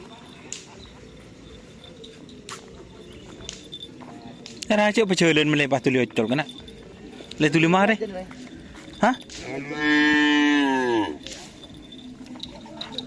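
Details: Cattle in training for karapan sapi bull racing at a field in Asemanis, Pamekasan, ahead of an event after Ramadan; loud harsh bellowing moos in bursts, one long moo near the end, over quiet outdoor background.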